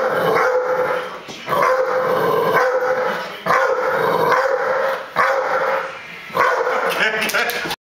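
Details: Lars, a guide dog, playfully 'attacking' his owner; drawn-out, harmonic vocal bursts in long stretches, repeated roughly every one and a half to two seconds, with brief quieter gaps and a sharp cut-off at the end.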